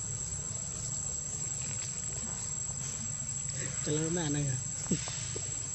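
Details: Young monkey at Angkor, Cambodia, in spring, calling for milk: a short, wavering, harmonic whine near the four-second mark, under a steady buzz of insects and a high constant tone.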